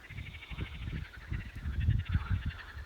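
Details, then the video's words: In spring at a river, frogs newly woken from winter give a chorus of deep, throaty croaks pulsing several times a second and overlapping, with a faint, high, steady trilling above; nightingales sing nearby. "Ось як і жабки дають концерт."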